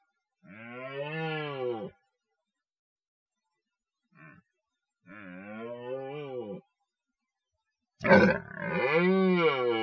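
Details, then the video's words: During the forest rut, a red deer gives three drawn-out, throaty roars, each arched in pitch and lasting over a second, with a faint short grunt between the first two; the last one starts with a harsh rasping burst. "Rykowisko / Deer rut"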